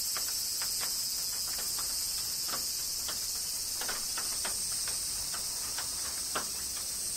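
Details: Cicadas in summer rain in Kyoto, Japan keep up a steady, hissing, high-pitched drone while raindrops patter and tick throughout.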